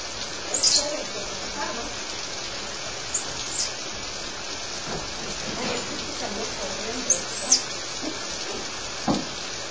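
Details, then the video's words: Pet squirrel monkeys at play give thin, very high chirps, often in quick pairs, scattered across the stretch and separated by pauses of a few seconds, over a constant steady hiss with a few soft low murmurs. "Pet Squirrel Monkeys playing"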